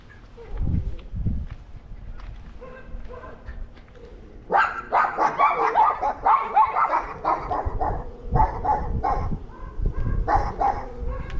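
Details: Several dogs barking at a neighbour's dog they dislike, one that had come into their yard and eaten their food; recorded August 17, 2022. A few low thuds, then from about four seconds a dense run of overlapping rapid barks in bursts.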